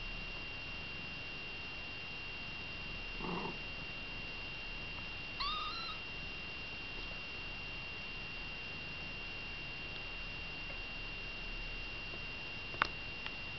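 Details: Kittens with mother cat Baileys indoors; a soft low murmur followed by one clear, thin, upward-bending kitten mew, then quiet hum with a couple of small clicks near the end.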